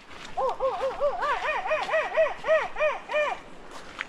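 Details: Monkeys calling in the Amazon forest near Podocarpus National Park, Ecuador, as mist descends: a rapid series of clear arched whoops, about a dozen rising-and-falling notes in quick succession, over faint background hiss.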